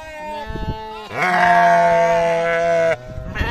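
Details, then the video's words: A single long, steady bleat from a farm sheep or lamb, nearly two seconds of nasal, harmonic tone that ends abruptly, preceded by softer rustling. "sheep sound , lamb sound"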